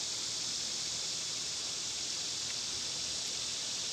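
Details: Cicadas in summer, when they are loud, give a continuous, even, high-pitched hiss-like buzz that holds steady throughout, with no breaks or pulses and nothing else standing out.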